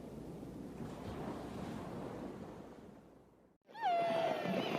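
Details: Killer whale call: several seconds of broad rushing noise, a brief gap, then one harmonic tone that falls slightly and holds level, ringing with many overtones.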